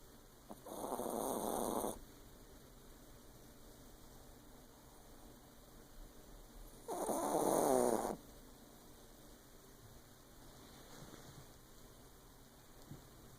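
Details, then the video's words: Sleeping female Yorkshire Terrier crashed out indoors in the dark, giving two loud, drawn-out raspy snores about five seconds apart, followed by a fainter one. "Yorkie ! Dog snoring like a human being. Yorkshire Terrier"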